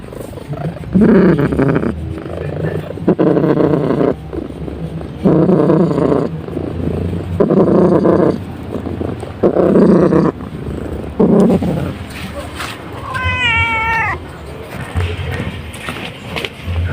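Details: Pet cat purring very loudly while its head is scratched: long rumbling bursts roughly every two seconds, a brief wavering meow near the end, and a continuous low hum.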